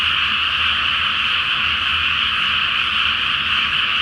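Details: Massed frog calls at night in a flooded paddy awaiting rice planting, beneath a full moon; a thick, constant shimmer of overlapping croaks holds steady across the whole stretch.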